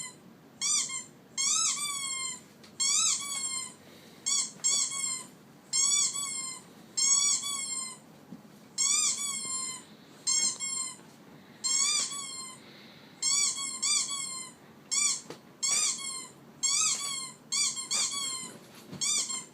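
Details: Squeaking from a pet dog: a steady series of shrill, tonal squeaks with a small upward bend, in clustered bursts roughly once a second, against a quiet background.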